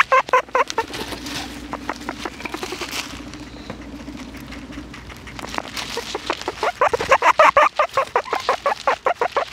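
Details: Guinea pigs sniffing a small microphone give rapid, clipped chirps and squeaks in quick repeated bursts, with a lower sustained hum in the middle and a dense run of sharp pulses near the end.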